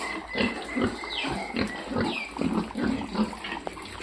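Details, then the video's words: F-1 piglets on a farm grunting rapidly and irregularly, roughly 160 short grunts a minute, mixed with a few thin, squeaky squeals that rise and fall. "F-1 Piglets"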